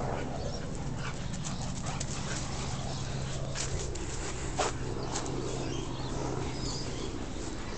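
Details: Whining from a husky or husky cross red cattle dog at play over a red ball; a steady low tonal whine runs through most of the stretch, broken by short sharp clicks and rustling noises.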